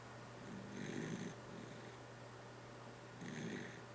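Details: Sleeping dachshund snoring softly: two breathy, rasping snores about two and a half seconds apart, with a steady low electrical hum underneath.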